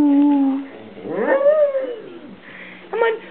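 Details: Pet dog making its unique woo-woo noises, neither barking nor growling, indoors: a sustained tone, then a rising-and-falling drawn-out howl-like woo, ending with a short higher yelp.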